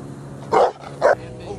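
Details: Dog at LA Harde Hond K-9 Academie during personal protection training alongside Cane Corso, Presa Canario and Pitbull work; two loud, sharp barks about half a second apart, followed by quieter background noise.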